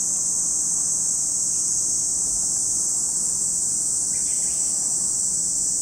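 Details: Cicadas singing at Lake Kamo in Sado City, Niigata, Japan, a high, steady sizzling drone filling the background, while a few faint bird chirps flick in briefly near the end.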